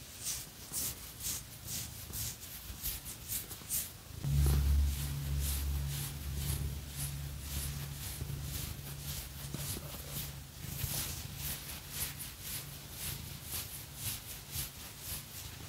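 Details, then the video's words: Phoenix, a house cat, purrs while being scratched. A deep, steady vibrating rumble swells loudly midway and holds for several seconds. Repeated scratchy strokes run across the fur throughout. "Scratchy Cat Massage | 🐈 Lots of Purring"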